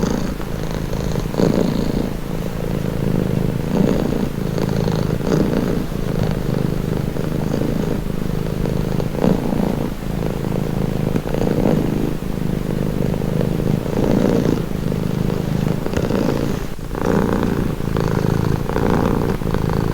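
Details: Continuous low purring from a domestic cat, rhythmic rumble rising and falling with each breath over twenty seconds, a faint click near the end, otherwise quiet.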